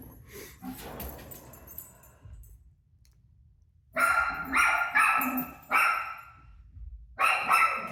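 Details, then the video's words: Dog named Rosie barking back at her televised barking: after a quiet, murmuring start, a rapid run of loud, ringing barks indoors. "Crazy Rosie Barking At Her Barking Self On TV"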